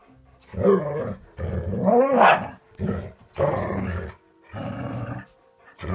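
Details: Dogs at play: a run of harsh, rough growling bursts with hoarse barks, each lasting about half a second to a second and separated by short gaps, one rising into a strained higher yelp near the middle.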